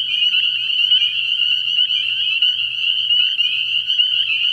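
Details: Night chorus of many spring peepers at a pond in early spring, their shrill upslurred peeps overlapping continuously into one unbroken, high-pitched ringing wall of sound.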